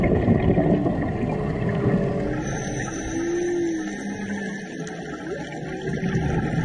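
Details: Humpback whale song recorded on a March dive in Maui waters: several low moaning tones rising and falling, one held swelling note near the middle, set against dense water hiss and a steady high electronic whine.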